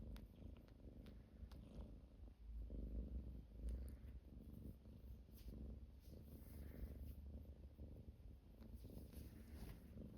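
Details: Close, continuous purring from a domestic cat, deep and buzzy with a rapid vibrating pulse, briefly louder around the third second, with light rustles and taps in the background.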